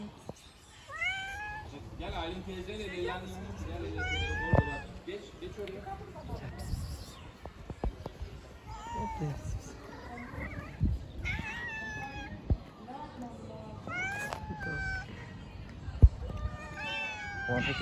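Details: Hungry street cats crowding around to ask for food, meowing over and over: many overlapping rising-falling meows from several cats, with quieter low murmuring and sharp knocks in between.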